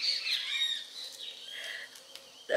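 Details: Male black-saddle German Shepherd puppy, 35 days old, filmed 30 November 2015, gives a high, thin whimpering whine that falls in pitch, then softer wavering whines, ending with a sudden thump.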